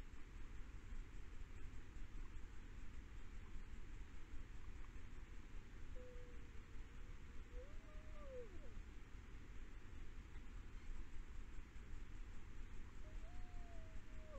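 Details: Iberian wolf in Galicia, Spain, howling, a call said to keep pack members physically together; two faint, long, wavering tones rise and fall, one midway and one at the end, over a steady low rumble and hiss.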